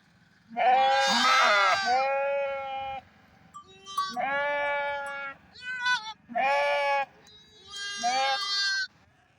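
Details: Bighorn sheep bleat four times, each a nasal, wavering cry of one to two seconds separated by short pauses, with a faint steady low hum underneath.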